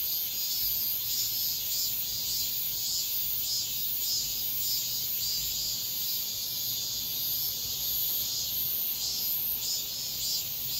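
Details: Dawn in midsummer filled with cicadas, their sharp, high-pitched buzzing running without pause, pulsing in quick regular waves, the chorus the only clear sound.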